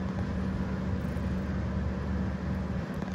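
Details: Loud continuous road traffic rumble with a steady low hum in Istanbul, and no animal calls.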